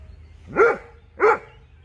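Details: A dog barks during an outdoor meeting between the Dobermann Jeff and a Fox Terrier: two short, harsh barks about 0.6 seconds apart, each loud and rich in tone, over a low background rumble.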